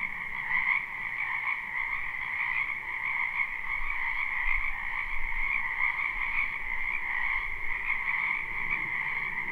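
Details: A spring wetland chorus of numerous frogs, live recording with no looping: continuous overlapping croaks merge into a steady high trilling drone at two pitches, with faint low rumble beneath and slight swells in volume.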